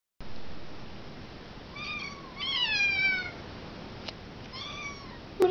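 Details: Tiny kittens meowing for food indoors: several high, drawn-out meows with falling pitch, some overlapping, followed by a person speaking to them.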